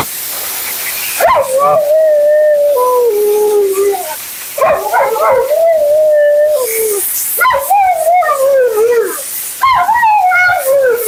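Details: Mila, a dramatic female Siberian Husky, delivers nonstop howling commentary during her bath and blowout: four long, falling, wavering howl-moans, each starting with a sharp rise, over a steady mechanical hiss.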